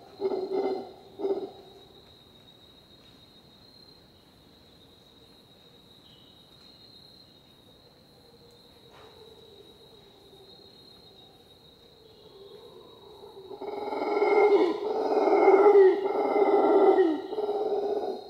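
A howler monkey gives deep, rasping, guttural roars over a steady high insect whine.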